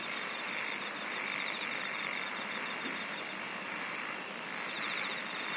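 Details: Singing insects outdoors: very high, bright buzzy bursts repeat about every 1.3 seconds over a steady trilling, hissy chorus.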